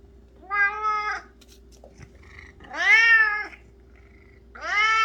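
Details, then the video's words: Cat fixated on flower petals meowing three times, long wavering cries with rich harmonics, the middle one loudest and arching, over a constant background hum. "꽃잎에 엄청나게 집착하는 고양이🐱🚨고막주의🚨"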